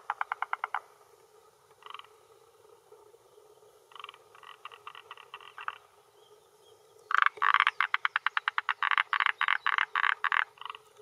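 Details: Male forest green tree frog (Rhacophorus arboreus) calling with inflated vocal sac at a hillside pond shore in Japan, early June 2021 evening, to claim territory and attract females; bursts of fast clattering pulses building into a long loud rapid series.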